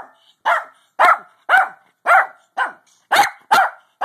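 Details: Pug barking while trying to sleep: clear, harmonic yaps repeated about every half second in a fairly steady rhythm, each short with a quick fall-off.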